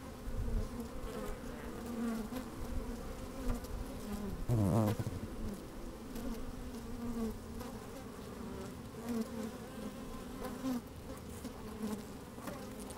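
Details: Honey bees at work in an open hive on a fine sunny day, recorded from inside: layered humming drone, a loud close buzz sweeping through midway, scattered rustles and low wind rumble.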